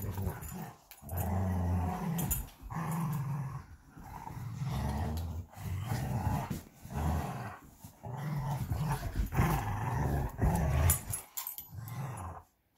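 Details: Two Belgian Malinois, Bullet and Apollo, play tug of war with a favorite toy. Deep, rumbling growls come in long bursts of one to two seconds, separated by brief pauses, with scuffling noises throughout.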